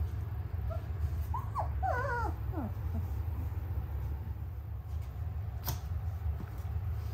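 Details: Noble Shepherd puppies, a grey wolf and German Shepherd hybrid breed, in a mixed-species rearing setting with a wolf; a short run of high, wavering whimpers with rising and falling yips over a steady low rumble.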